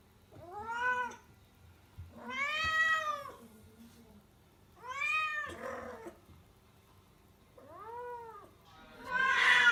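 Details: A rescued female domestic cat in heat calls loudly indoors in Tendo, Yamagata, Japan. Rising-then-falling wailing meows are repeated every two seconds or so, and a burst of rustling noise comes at the end.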